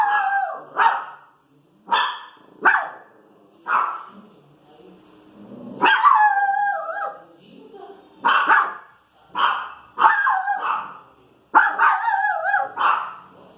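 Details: Little Pinscher bitch protesting street noise: a long run of high, sharp barks, some single and clipped, others drawn into whiny wavering yelps, coming about once a second with brief lulls.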